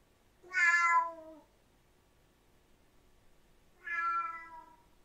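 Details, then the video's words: Two meows from a Siamese cat, each under a second long and slightly falling in pitch at the end, separated by a quiet pause with faint room noise. "Tunog ng SIAMESE CAT | Sound of SIAMESE CAT"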